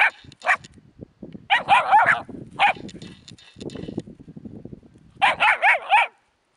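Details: Puppies playing around a hedgehog give shrill, slightly rising yelps in clusters of three or four. Soft shuffling and snuffling sounds are heard in between, and the clip ends in quiet.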